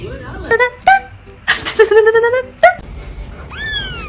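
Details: Domestic cat giving a run of short, tonal meows, some level and some bending, ending in a bright downward-sliding meow, with brief breathy sounds between calls.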